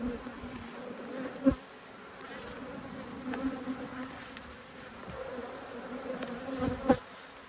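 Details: Agitated honey bees, cross that their two hives are being opened and checked, give a continuous droning hum in two steady tones, broken by a few sharp louder bumps as bees pass close.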